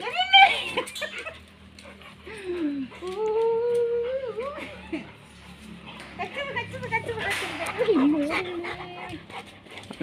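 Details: Two-year-old female American bully whining in drawn-out, sliding tonal cries that rise and dip over a couple of seconds, with shorter yelps before and after, while people talk and laugh close by.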